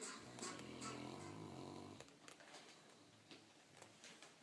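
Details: Sammy, a sleeping Saint Bernard, snores loudly indoors: one long rasping, rumbling breath lasting about two seconds, followed by quieter breathing with faint clicks and small bumps.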